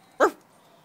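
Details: A Patterdale Terrier x Jack Russell Terrier puppy, seven and a half weeks old, playing with its littermates indoors, gives one short, sharp, high yap lasting barely a tenth of a second. A quiet room follows.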